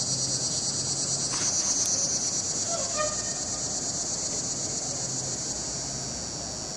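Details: Chorus of swamp cicadas, Neotibicen tibicen, dated 08-09-15: continuous shrill buzzing pulsing rapidly, with brief faint tones in the middle, the drone easing slightly toward the end.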